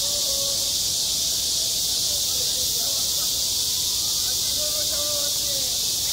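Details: Cicadas singing at a school playground in midsummer: a dense, unbroken high hiss fills the air, with faint scattered higher voices, possibly children or birds, drifting underneath.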